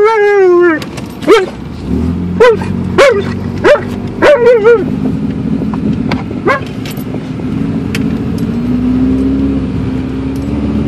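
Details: Alaskan Malamute travelling by car to the dog park: a drawn-out whine opens, followed by a burst of short, punchy yips roughly every half second, then fading to car hum with a few faint yelps.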